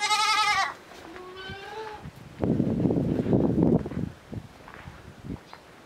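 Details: Miniature goat kid Petite Pelotte, a small newborn raised partly indoors, following to suckle its mother. A loud, high, harmonic-rich bleat, then a fainter shorter one, followed by shuffling footsteps and rustling.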